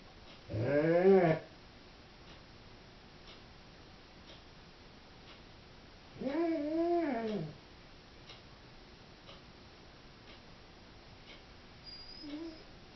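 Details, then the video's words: Left home alone, a female Doberman gives two short arched whining howls about six seconds apart, each rising and falling, followed by a faint brief whine near the end. "Howling Doberman"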